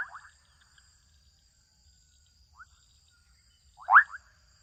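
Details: Young frogs calling out across a wetland in Kenya: a trailing pulsed call opens, a faint short chirp follows, then a strong rising rattle of quick pulses near the end, all over a steady faint high whine.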